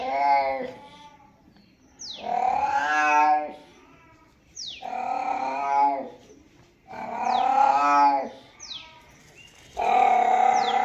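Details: Cat giving loud, long, harmonic-rich meows in a steady series, four drawn-out calls roughly every two and a half seconds, each opening with a sharp rising onset and ending with a falling tail.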